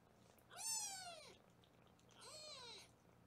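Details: Foster kittens being weighed in a Los Angeles kitten cam room: two high, drawn-out meows about a second and a half apart, rising then falling, the second softer, over a faint steady hum.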